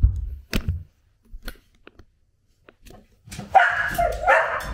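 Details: A female Samoyed, sensing her father's footsteps on his return after a week away, gives a short low growl, then after knocks and rustles a loud, wavering grumbling growl-whine, overjoyed yet sounding angry.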